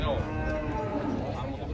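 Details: Belgian Blue cattle at a livestock market: a low, drawn-out moo holding a steady droning tone for over a second, heard beneath people talking and general market bustle.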